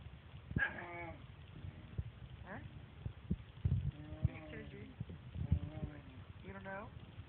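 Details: Jealous dog complaining while its owners pet the cat, giving strange talking noises: several drawn-out, bleating whine-moans with rising and falling pitch, spaced a second or two apart, over quiet human voices.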